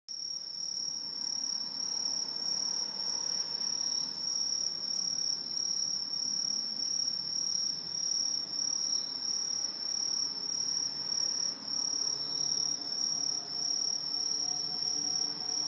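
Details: A dense autumn chorus of green tree crickets (Aobamatsumushi), an introduced species in Japan living high in trees, gives a steady high-pitched trilling ring that never pauses.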